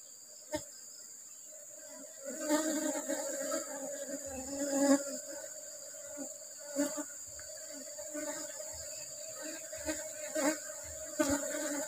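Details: Steady droning hum of an Asian honey bee colony kept in a hive, opened for honey harvest while rubber trees bloom. The buzz grows fuller after two seconds, with repeated clicks and knocks from hive handling throughout.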